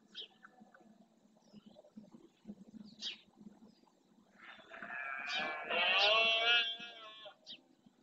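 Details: A red deer male roars during the rut in Spain's Doñana marshes, territory claim; a low background murmur gives way to one long, swelling, gravelly bellow lasting nearly three seconds.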